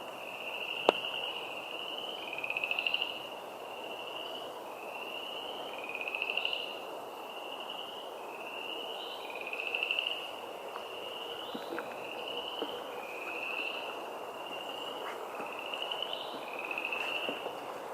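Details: Several frogs in a wetland in woods at Moccasin Bend, Chattanooga, Tennessee, call together in high, brief trills about once a second, a few nearer callers louder over a soft steady hum.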